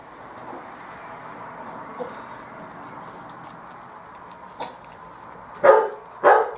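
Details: Bearded Collie puppies from the M litter playing on a roof terrace: a long quiet stretch, then two sharp yapping barks in quick succession near the end, about half a second apart.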